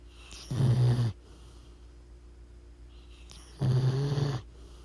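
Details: Deep, throaty snores from a sleeping pit bull: two drawn-out, vibrating inhalations about three seconds apart, each lasting roughly half a second, with a low steady hum in the background.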